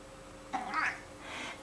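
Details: Elderly male domestic cat, 15 years old, answering his owner's singing of Twinkle Twinkle Little Star on September 10th 2011 with a single drawn-out meow that bends upward, followed by a faint trailing mew.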